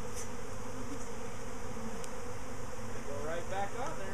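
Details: Swarming bees, out again a week after their previous swarm, close to a box: continuous low droning buzz throughout, with a few faint clicks and a hint of people talking in the background.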